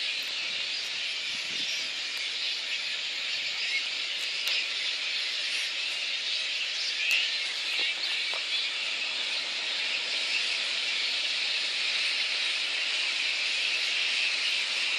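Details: At a Boonah, Queensland roost in Australia on 19 February 2014, little red flying foxes call before council and contractors disperse them. Steady shrill squealing chatter persists, with occasional sharp clicks and faint rustles.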